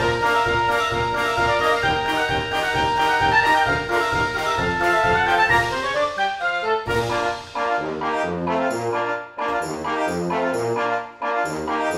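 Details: Orchestral brass music plays throughout, with trombones and trumpets carrying rhythmic phrases. No animal sound can be picked out.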